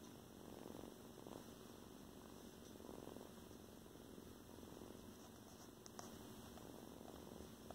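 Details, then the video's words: Tiny foster kitten with a loud purr, indoors; a steady, continuous rumbling purr runs unbroken through the whole stretch over a constant background hum. "Yes, you're so teeny tiny, but you got a loud purr."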